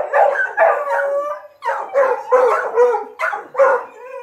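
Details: Dogs in training on a paca hunt give loud, tonal baying howls in short repeated bursts, some ending in slurred upward yelps, several voices overlapping with brief pauses between.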